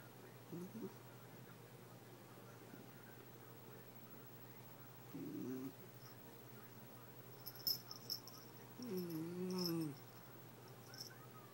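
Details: A basenji gives short, wavering yodel-like howls that rise and fall instead of barking, vocalising at a toy fox terrier over a toy.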